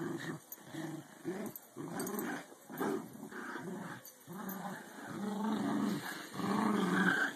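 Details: American Eskimo dogs at tug play, two-year-old Lexi with 12-week-old puppy Maru; steady low growling in repeated bursts, growing louder toward the end.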